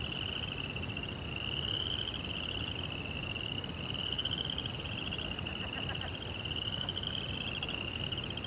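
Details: A continuous high cricket trill fills a Japanese Zen rock garden at night beside a koi pond, rising and easing in strength, over steady low rumbling noise with a few faint taps late on.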